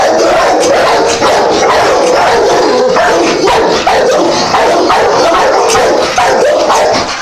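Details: Many dogs barking at once in a dense, continuous chorus of overlapping sharp barks and yips, with almost no pauses and small dips in loudness every second or so.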